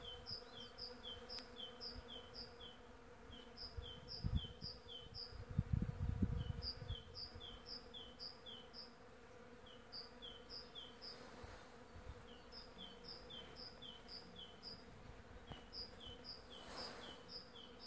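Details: Early-season western honey bees (Apis mellifera) hum steadily and low, swelling louder as one flies close, with a bird chirping above.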